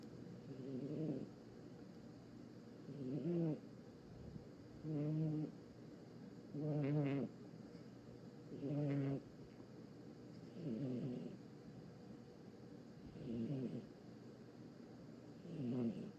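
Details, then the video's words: Sleeping cat snoring, each breath a raspy, buzzy rumble lasting about a second, repeated roughly every two seconds with quiet pauses between, eight snores in steady rhythm. "Cat Snores"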